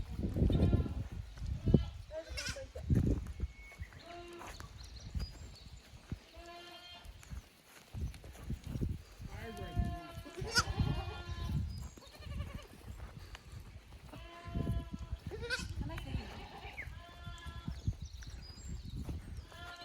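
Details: Goat kids brought from the lower pasture to an unfamiliar upper pasture on a Japanese goat farm, May 2024; several quavering bleats at intervals, some long and trembling, mixed with human speech and handling noise.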